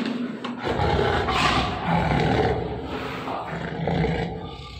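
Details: Lions named Tony and Malka in captivity around feeding time, deep rough roaring and growling that swells and fades in long rasping waves, with background noise and brief music.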